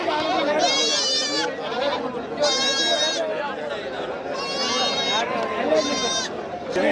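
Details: Goats bleating at the Tuesday Melapalayam market on 13 May 2025, several loud quavering bleats with strong harmonics repeated through the clip over steady crowd chatter and voices.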